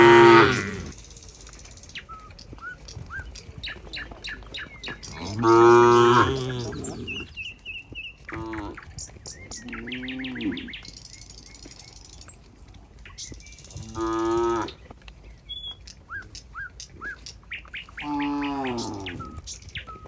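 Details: Cattle in a rural barn amid the herd, with a cowherd heading there: several deep moos spaced a few seconds apart, some short, some drawn out, with many bird chirps and tweets between them.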